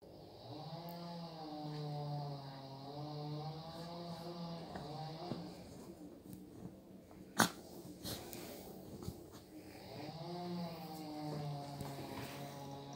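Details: Chihuahua in trouble with its sweater: a low, sustained droning growl with a slight waver, in two long stretches separated by a quieter gap, with a sharp click midway and soft rustling.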